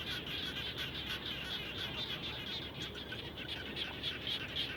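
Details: A dense chorus of frogs calls around a home after rain, with rapid, overlapping high-pitched chirps repeating constantly.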